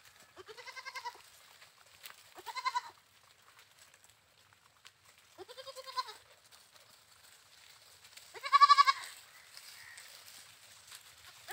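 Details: Goat bleating four times over about eleven seconds. Each bleat is a wavering, nasal, quavering cry with rich stacked overtones, separated by quiet pauses of one to three seconds. A faint background hum is present.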